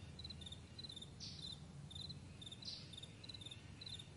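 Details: Crickets in the morning on a vast meadow, giving short high-pitched chirps in pairs and triplets, repeated steadily. Brief hissy bursts appear twice, over a constant low rumble.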